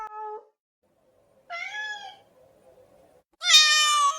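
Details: Domestic cat meowing, said to want immediate attention: three separate harmonic meows, a short low one, then a longer rising-falling call and a loud high drawn-out final meow, with quiet gaps between.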